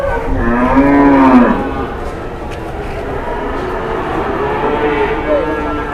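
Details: {'caption': 'Morning moo from big Indonesian cattle: one loud, low, steady bellow lasting about a second, then fainter higher moos, under continuous human chatter.'}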